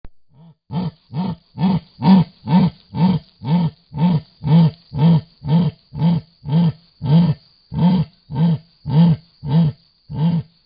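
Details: Male jaguar calling in the Pantanal of Brazil: a long series of deep, rasping, sawing grunts, about two per second, close to twenty in a steady rhythm, with nothing else heard.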